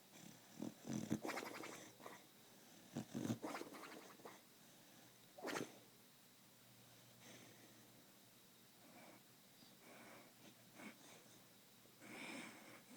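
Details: A sleeping male Beagle, dreaming, snores and gives muffled, breathy woofs and snorts in short, irregular bursts.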